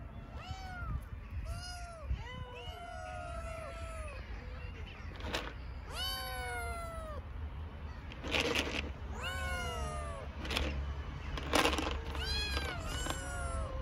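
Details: Hungry homeless kittens on an Istanbul street meowing loudly, repeated arched, harmonic-rich meows from several kittens, some overlapping, roughly one per second, with low traffic rumble and brief rustling underneath.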